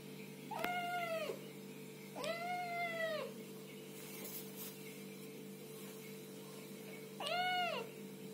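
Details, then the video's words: Little kittens meowing and talking: three drawn-out, arching meows, each nearly a second long with rich overtones, spaced a few seconds apart over a low constant hum. "Little kittens meowing and talking"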